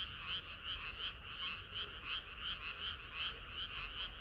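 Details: Frogs singing together on a hot summer night, their chorus pulsing in quick regular croaks, close to three per second, over a constant layered murmur of further callers.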